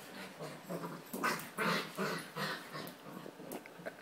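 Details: Puppy during its first rough play with other dogs while boarding at a home dog-sitter in Jerusalem. Harsh, noisy whimpering and growly yelps come in quick bursts, roughly two to three per second, over scuffling sounds.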